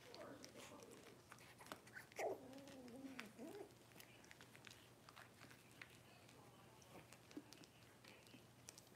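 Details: Six-week-old Cavalier King Charles Spaniel puppies indoors in a puppy pen while being dewormed and having toenails trimmed; one long, wavering whine rises and falls for over a second, with human voices and handling noises around it.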